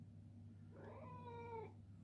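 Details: A male Ragdoll cat, begging indoors for his morning treat, utters one long meow near a second in length, rising gently then dropping at the end, with a steady low hum beneath.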